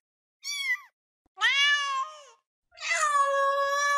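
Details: Cat (Felis catus), meow.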